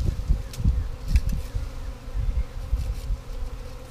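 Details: A honey bee swarm caught in 2017, the third of the year, while a sheet is knocked down and the limb cut to drop bees into a box; a continuous droning buzz pulses under bursts of deep rumble and light taps.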